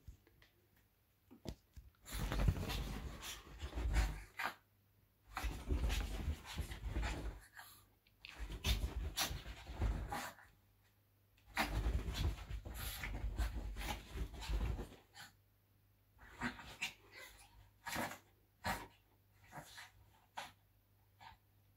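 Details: Chihuahua before sleep, breathing in heavy, rough panting bursts lasting two to four seconds each, separated by brief quiet pauses, with shorter, softer puffs toward the end, in a quiet indoor setting.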